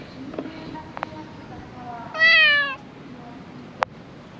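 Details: Stray cat living among discarded rubbish gives a single harmonic meow, slightly falling, about half a second long, with faint clicks and low background noise.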